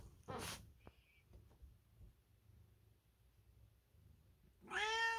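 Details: American Ringtail cat indoors: a few soft clicks and a short breathy sound early, mostly quiet, then a strong harmonic meow starting near the end and cut off at the close.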